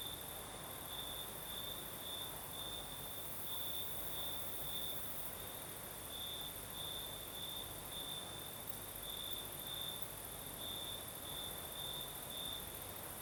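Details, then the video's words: Crimean crickets sing through the southern night as a breeze blows, their piercing, rhythmic trill pulsing evenly from start to end above a constant very high shimmering tone and gentle wind noise. "Сверчки поют"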